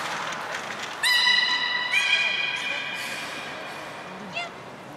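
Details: Captive belugas Gray, Nana and Nico at Port of Nagoya Public Aquarium, Japan, 1 January 2019, during training; a quieter, steady harmonic tone about two seconds long, then a brief upward chirp, over a hollow indoor background.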